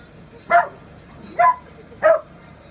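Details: Young male Miniature Dachshund kicking up a fuss at home during room construction; three clipped, sharp barks spaced roughly three-quarters of a second apart, evenly loud, over a quiet indoor background.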